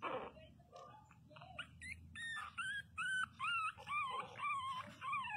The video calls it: Filhotes de pinscher chorando alto